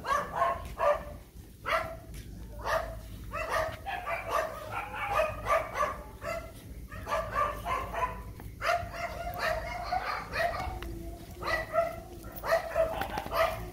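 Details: Phu Quoc Ridgeback dog meeting its sweetheart again after a long time apart, giving a run of excited yelping barks and whines, repeated rapidly and irregularly throughout, with a faint person's voice in the background.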